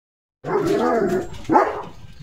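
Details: During a bath, Leo the German Shepherd lets out a drawn-out, wavering vocal sound lasting about a second, followed at once by one sharp bark.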